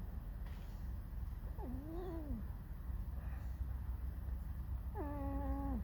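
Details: Pet fox, apparently discontented, giving two drawn-out whining squeaks with harmonics, the first arching up then falling, the second held level then dropping, over a steady low hum.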